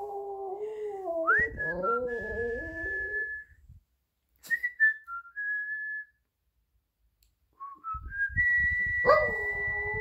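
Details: A Shih Tzu howls along with its owner's whistling, giving a wavering, mournful howl alongside clear human whistling.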